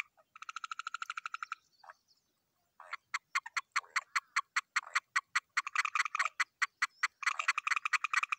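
A frog gives rapid trains of harsh, pulsed croaks, broken by brief pauses.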